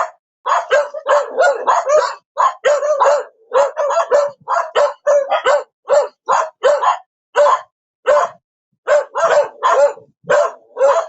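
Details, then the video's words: Dog giving a long, fast run of barks, many in tight bursts of three or four, only a few gaps, clean background throughout. "Perro Ladrando / Sonido de animales. Ladrido de perro"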